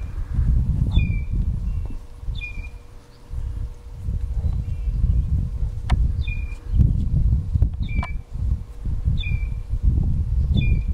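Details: Clown tree frog from Suriname giving brief two-part high chirps, a sharp upper click and a lower note, repeated roughly every one to two seconds against low droning noise.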